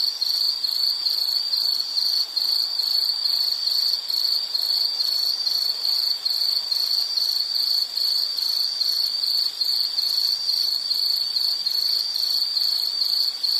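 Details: Continuous insect song from nature scenery. A shrill, high tone is broken into rapid, evenly spaced pulses, roughly two or three per second, without pause. A faint hiss lies underneath and no other animals are heard.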